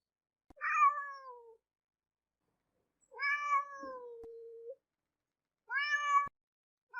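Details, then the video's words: Domestic kitten meowing: three separate harmonic meows with falling pitch, the second long and drawn out, spaced about two to three seconds apart in a quiet indoor setting. "som de gato miando"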